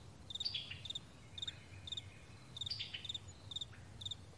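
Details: Morning meadow crickets in May 2020: bright, high double and triple pulsed chirps repeating roughly every half second, a few soft sliding whistles between them, and a faint low hum in the background.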